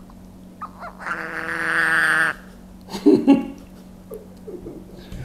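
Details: A Budgett's frog (Lepidobatrachus laevis) gives a loud, drawn-out, harmonic scream, then a man talks; the keeper guesses, without research, that such calls scare off opponents.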